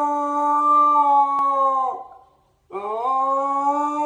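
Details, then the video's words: Siberian Husky with an odd voice holding a steady howl that sags and breaks off near two seconds, then, after a short silence, resumes with a rising slide back to the same level pitch. "husky with weird voice"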